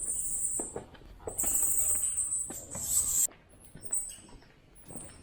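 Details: Many bats chatter inside a cave on a hill climb in Ninh Binh, Vietnam. The cave is partly open to the outside. The sound is a dense mass of high, thin squeaks and shrill twittering.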